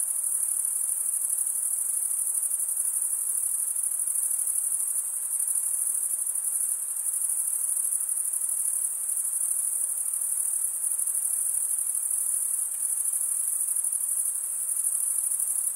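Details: Male crickets chirping by stridulation produce an unbroken, piercing high trill sustained throughout, even in loudness, over a quiet low hiss.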